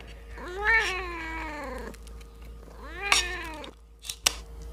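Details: Kitten meowing while eating half a fish head with rice: two drawn-out, wavering meows, the first longer and falling at the end, followed by a few sharp clicks.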